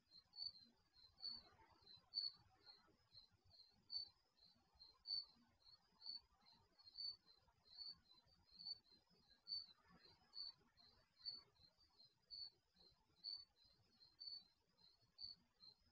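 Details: Steady night chorus of crickets captured by an HD security camera in a garage: high trilling chirps repeating about once per second for the whole stretch, a weaker overlapping caller, and a soft hiss around the fourth and tenth seconds.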